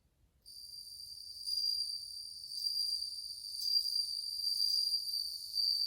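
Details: Many bell crickets singing in August 2020, described as playing cool tones: a steady, high, ringing trill with bright overtones begins after half a second and continues unbroken, swelling slightly in loudness.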